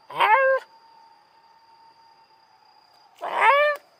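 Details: Black Shiba Inu reacting to a police car siren while on a walk. Two short howling cries, each about half a second long and falling slightly at the end, are separated by a long gap. A continuous steady siren tone runs between them.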